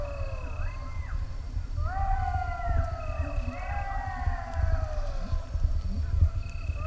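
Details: In Greece in 2023, golden jackals answer human-imitated howling with a chorus of several wavering, sliding, overlapping voices above a low rumble of wind.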